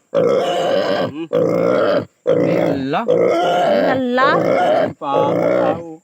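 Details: Native pig under castration screaming in long, hoarse, grunting squeals with wavering pitch bends, about one per second and a half, separated by short silences.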